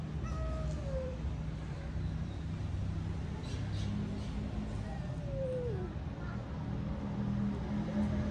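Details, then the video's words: Two possibly pregnant cats growling at each other over the same resting place; two drawn-out, falling yowls a few seconds apart over a steady low rumble. "Two Possibly Pregnant Cat Growling At Eachother They Love Same Home For Rest"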